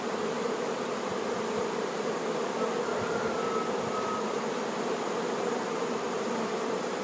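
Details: Honey bee workers attending their queen make a smooth, continuous hum of massed wings, steady and unvarying, with one brief higher whine near the middle.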